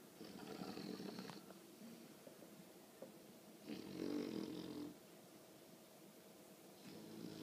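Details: Snoring of a sleeping 20-week-old female English bulldog puppy, recently grown loud: harsh rattling breaths about every three seconds, each around one second long, with soft breathing between them indoors.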